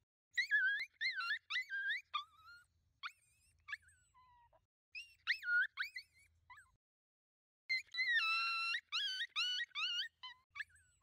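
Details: Five coyotes, a pack moving in at night, watched through a thermal scope: rapid wavering yips and short howls, several voices overlapping in bursts, with brief quiet gaps and a long warbling cry near the end.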